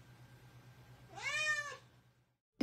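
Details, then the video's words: Indoor pet cat giving one short arched meow over a low electrical hum, then silence and a sudden loud knock at the end. "talking cats"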